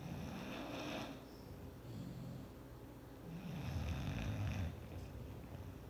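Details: Clyde the bulldog asleep on a chair, snoring in deep, gurgling rumbles with airy hissing breaths, two strong snores a few seconds apart.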